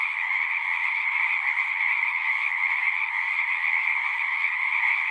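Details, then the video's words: Continuous frog chorus of singing frogs, a constant shimmering trill of many overlapping voices, mid-high in pitch and level in volume, no gaps and no other sounds. "One hour of singing frogs."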